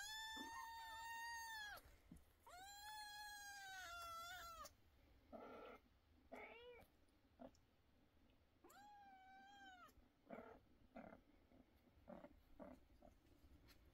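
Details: Kittens crying loudly: two long, level meows back to back at the start, then softer scattered squeaks and clicks, another arched meow midway, and faint brief calls trailing off.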